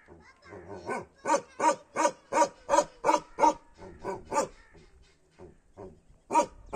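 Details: Kashmiri Bakharwal dog barking: rapid, steady series of loud barks, about three per second, with a brief pause before a final couple of barks.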